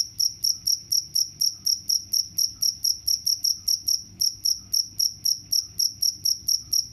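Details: Rapid high-pitched cricket chirps, around four short pulses per second, continuing evenly apart from a brief pause near the middle; nothing else audible.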